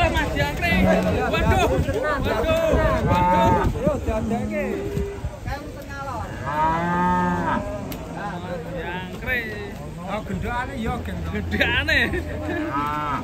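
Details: Cow on a rampage, swimming in water while a crowd of residents gathers; several low, held moos sound amid constant overlapping shouts and talk from the busy crowd.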